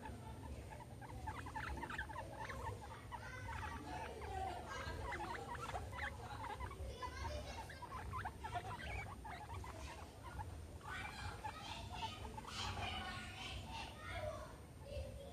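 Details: At playtime with a soccer ball and an American football, pet guinea pigs Meadow and Sandstorm give clustered high chirping squeaks, busiest near the end, over a constant low background hum.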